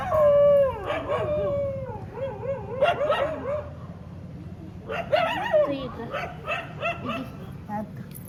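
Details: Several street dogs in Molachur village near Chennai, Tamil Nadu, recorded 19 April 2026, howling and whining together in overlapping wavering, bending cries with short yelps, rising and falling in two bursts over a faint low rumble.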